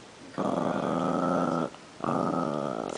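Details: Pet Chihuahua meeting another dog for the first time, growling indoors: two long, steady, rough growls, the first over a second long, separated by a brief pause, with a person's voice just after.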